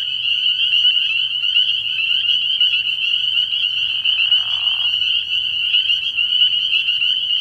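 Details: Dense night chorus of spring peepers at a frog pond in early spring. Countless high piping notes blend into a continuous shrill ring. A short, softer, lower-pitched rasp passes through midway.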